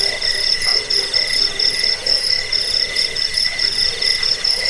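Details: Cricket chirps meant for repelling rats, as a sleep aid and as a model for training birds; continuous shrill pulsing trill, evenly repeated short chirps layered over a softer background hum.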